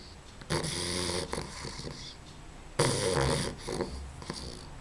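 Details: Sleeping female puppy snoring, two rough, breathy, broadband snores about two seconds apart, with low rumbling under a hissy upper layer and quiet room noise between breaths.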